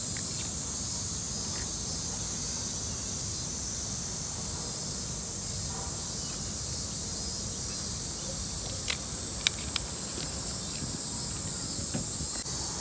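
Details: Cicadas calling in summer in a Tokyo park: a steady, unbroken high-pitched buzzing drone that fills the whole recording, with a few faint clicks and taps near the end.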